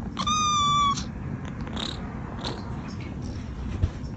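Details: A house cat from a compilation of funny pets gives one level, nasal meow lasting under a second, rich in harmonics, followed by faint clicks and rustles in a quiet room.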